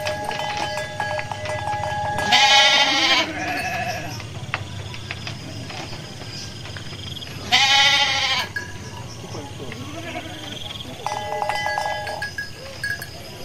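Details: Garut sheep ewe giving birth while foraging; two separate strained bleats about five seconds apart, with steady tonal background sounds and faint voices between them.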